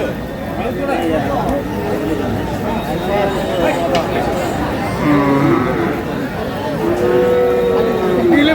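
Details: Sahiwal bull at a cattle market, bought by a farmer from Noakhali: low drawn-out moos, one rising then falling near the end, amid constant crowd chatter and market bustle.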